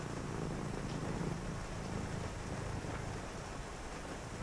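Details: Cat purring indoors on a rainy night: a low, soft rumble in the first seconds, largely masked afterwards by steady rain and a deep distant rumbling.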